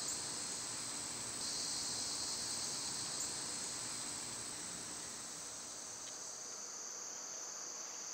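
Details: Continuous shrill summer cicada drone, swelling a little early on and then holding a level, even hiss with faint background noise.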